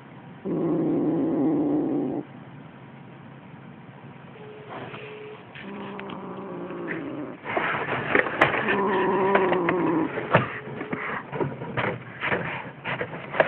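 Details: Young Siamese kitten, six weeks old, intent on a toy mouse it is killing for the first time; one deep growl of nearly two seconds, then rustling, clattering play noises with fainter growling underneath.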